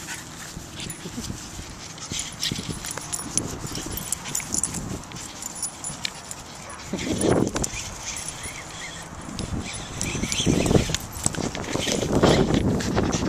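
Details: Jack Russell Terrier playing indoors with a talking Babble Ball toy: short harsh yips and barks burst out near seven seconds and again twice toward the end, over steady rustling and scuffling.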